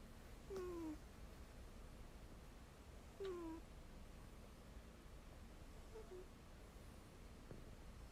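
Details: Sleeping Ragdoll cat, deep asleep with its head resting on another cat's rump, gives two soft whistled snores about three seconds apart. Each slides downward in pitch, with steady low room hiss between breaths.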